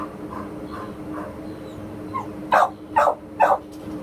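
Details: American Pit Bull Terrier up for adoption, barking: soft, muffled yips at first, then three loud, sharp barks about half a second apart near the end, over a steady low hum in the background.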